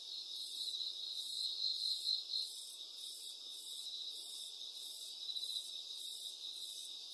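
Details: Continuous shrill cricket trilling, pulsing in an even rhythm about three or four times a second, with no other clear sounds.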